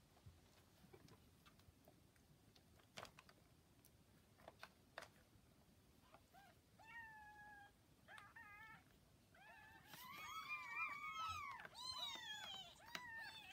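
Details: Newborn kittens about 40 hours old with their mother cat; near-quiet at first with soft clicks and rustles, then from midway a rising chorus of overlapping high, arched mews that grow louder and denser toward the end.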